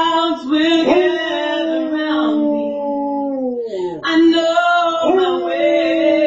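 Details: Sir Bentley Franklin Ruhn, a Basset Hound, howls from a recliner at home while his owner sings a favourite song, caught on a nest cam; long wavering mournful tones that slide downward, break briefly, then rise again into sustained howling.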